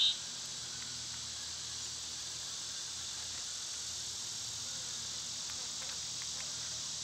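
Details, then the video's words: An unbroken wall of high, hissing insect drone from cicadas on a summer day. The sound stays even from start to finish, with almost nothing else audible. "Cicada sounds"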